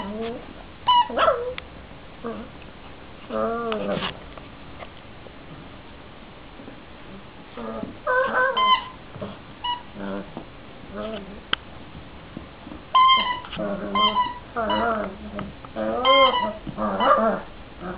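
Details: Cavalier King Charles Spaniel vocalizing indoors; wavering high whines and short yips in clusters separated by quiet gaps, with soft human speech in places.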